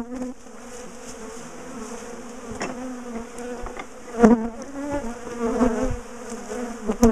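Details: Steady low buzzing of a large bee colony during the dismantling and moving of its top bar hive; the hum holds even, then grows louder with several sharp clicks toward the end.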